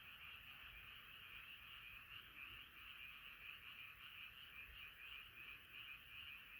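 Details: A nighttime gathering of frogs croaks in chorus, rapid overlapping pulses forming a continuous rattling hum that rises and falls gently over several seconds.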